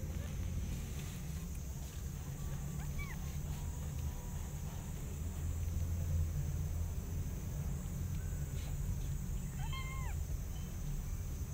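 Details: Mother cat with kittens recovering from an eye infection while she eats: two short, high, arched meows, one near three seconds and one near ten, rising then falling, over a steady low rumbling hum.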